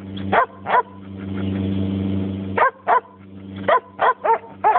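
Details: Sheepdog giving short sharp barks, two early then a quick run of about six, with a steady low droning hum in between.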